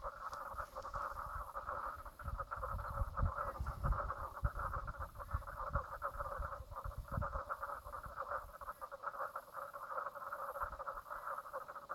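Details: Frogs calling at Brown Lake on Stradbroke Island, Queensland, Australia, 04/03/2017 at 10:55am: a steady pulsing chorus of rapid, rattling croaks in two pitched bands, overlaid by bursts of low rumbling wind or handling noise.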